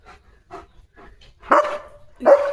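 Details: German Shepherd running and playing with its owner in open, green countryside; two loud, sharp barks about a second apart, with a ringing tone at the end of each, preceded by faint, quieter sounds.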